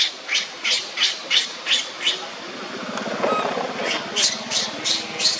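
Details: Young monkey Leo crying on the ground while Libby torments him: shrill, high screeching cries repeated about three times a second, pausing briefly mid-clip with a lower rough rasp before the cries resume.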